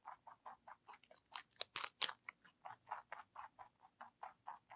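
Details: Pet rabbit ZZ, a lionhead and Dutch mix, chewing celery close up: fast rhythmic crunchy chomps, roughly four per second, with a few louder snapping bites midway and a quiet room behind.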